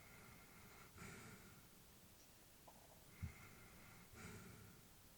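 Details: Sleeping elderly female Labrador, breathing at rest: three soft airy breaths spaced about one to two seconds apart, one sharper snort-like puff in the middle, otherwise a calm, quiet room.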